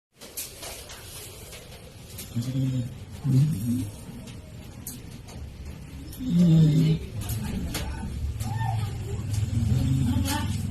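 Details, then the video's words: Chloe, a sleeping dog, snores in low, rumbling bursts spaced a few seconds apart, with stronger grating snores near the start and middle and a steady low hum underneath. "SNORING DOG"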